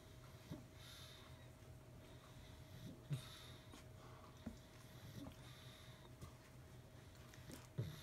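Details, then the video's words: Sarah, a female pug, sleeping in a dog bed she took from Poppy the poodle-mix puppy. Soft snuffling snores and sniffs come every couple of seconds in a quiet room with a faint steady hum. "Sarah the Pug Snoring in Poppy’s Dog Bed"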